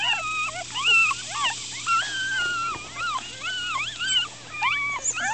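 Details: Litter of 4-day-old Miniature Schnauzer puppies, black, black-and-silver and salt-and-pepper, crying in distress while squirming: a dense overlapping chorus of short, high, arching whimpers from several pups at once.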